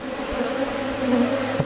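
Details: Bees buzzing in Valderejo nature reserve: a steady droning hum with a low fundamental and a clear overtone, slightly swelling and fading as insects move near, faint low rumble underneath.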